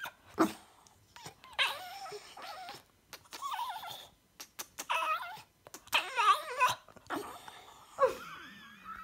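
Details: A Boston Terrier makes funny noises in short, wavering bursts, part whine and part grumbling yodel, pitch sliding up and down, with brief snorts and pauses, ending with what sounds like "mama".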